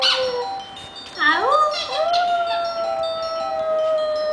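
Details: Female Maltese, a little over one year old, howls like a wolf in response to a phone ringtone; scooping upward wails swell and settle into a long sustained note over the tinkling electronic melody.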